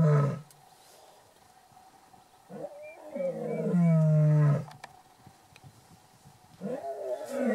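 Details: Deep lion roars recorded on safari at Shamwari, Port Elizabeth, South Africa: a short opening groan, then a long loud moaning roar near the middle, and a third rising roar at the end, over quiet outdoor background.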